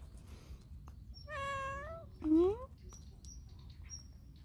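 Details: Stray cat, often seen at a workplace, rolling onto its back and asking to be petted: a long level meow with rich harmonics, then a shorter rising meow, over low background rumble.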